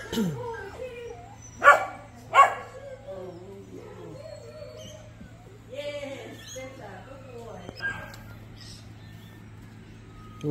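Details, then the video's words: Wulf, a high-drive American Labrador Retriever, barks during play drive training: two sharp, loud barks less than a second apart, then quieter vocal sounds mixed with a man's encouraging voice. "Wulf / Wolf - high drive American Labrador. Today’s training focused on play drive."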